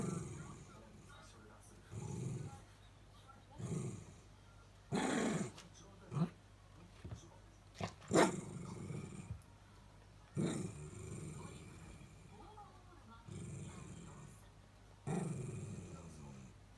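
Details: Miniature Dachshunds pressuring their owner working in the next room to return, growling a throaty, phlegm-laden whine that is not angry; repeated low rasping bursts of varying length across the clip, with some short clicks and knocks.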